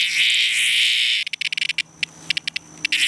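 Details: Cicada in distress: a loud rasping buzz that breaks into a fast series of short stuttering pulses, then swells back into a sustained buzz.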